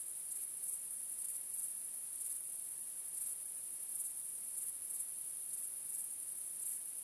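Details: A starry-night cricket chorus: an unbroken high, shrill buzz marked by regular brighter chirps about once per second, quiet and steady.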